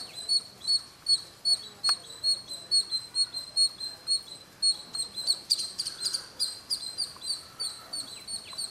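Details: Near Bangalore at Kolar Gold Fields, India, a small squirrel chirps from its usual roof corner at midday, a fast run of shrill clipped notes repeated roughly every half second, recorded on a Canon ZR500.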